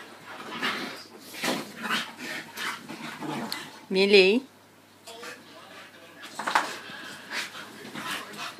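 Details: Staffordshire Bull Terriers indoors as Buddy, adopted from the RSPCA in February 2013, meets his new brother Zac and sister Millie; a short wavering high whine cuts through snuffling and shuffling, with people talking in between.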